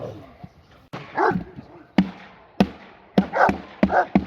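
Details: Presa Canario puppy named G'Bomba de la Arena, seven months old, at its first protection work training with AVD e.V.; several short, sharp barks spaced about half a second apart, mixed with sharp impact clicks and brief human speech.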